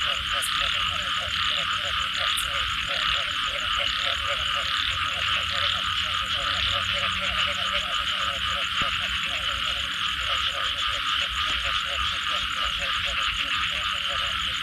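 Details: Frog chorus after rainfall, with many overlapping throaty pulsed croaks in quick rhythmic bursts through the whole stretch, over a steady, loud high-pitched buzzing hum.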